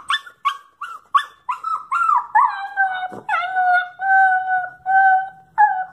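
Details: Miniature pinscher mix female, roughly nine months old, howls in separation anxiety as her owner leaves with the other dog for a walk. Several short sharp yips lead into long, steady, level howls, each lasting about a second.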